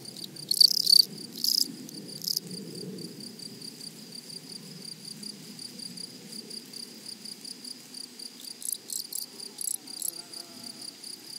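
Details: A flowery meadow grasshopper chorus opens with a few strong rasping bursts, then settles into soft, quick ticking pulses beneath a constant thin high-pitched insect drone.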